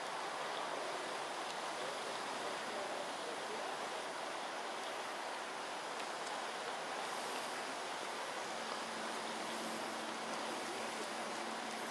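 Only a steady broadband rush like distant traffic or flowing water, with a faint low hum joining near the end; no animal calls.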